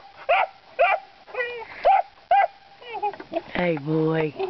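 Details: Young puppies, about three or four months old, baying at hogs while learning to work them: short repeated yelping barks, then drawn-out wavering howls, with a man's voice calling to them.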